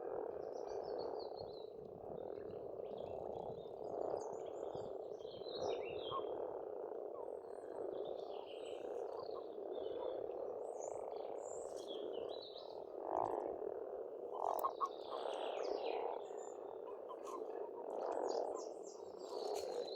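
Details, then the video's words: Frogs calling in spring at a pond in rural Estonia: a dense, continuous chorus of low croaking fills the clip, with scattered high bird chirps and whistles above. "Расслабляющее пение птиц и лягушек, весна, природа."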